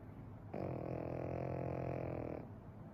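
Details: Sleeping Pekingese whose snoring will not stop, captured as one long nasal, droning rattle held for about two seconds with stacked harmonics, then fading back to a quiet indoor background.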